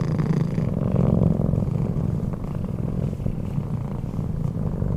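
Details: Sleeping cat named Keanu snoring, a dense low rumble with rhythmic breath pulses, loud and even across the whole stretch, nothing else clearly heard.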